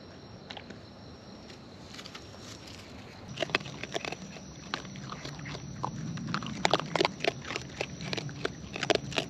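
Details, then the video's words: Raccoons in the wild feeding close up: nearly quiet for about three seconds, then bursts of rapid, uneven crunching clicks that grow denser toward the end, over low rumbling handling noise. "Wild Raccoons & ASMR Chewing Sounds"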